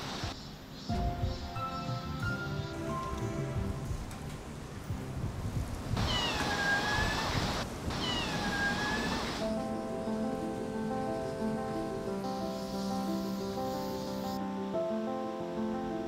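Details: A mother cat meows at the food bowl by a cliff while her kittens, hidden all over the cliff, come out one by one. Two drawn-out, falling meows sound midway over background music.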